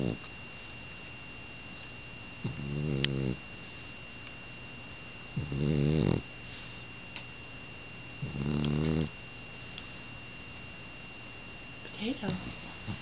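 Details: Cat asleep and snoring before being woken, four rhythmic raspy snores roughly every three seconds with stacked harmonics, quiet gaps between; faint constant electronic tone, light rustling near the end.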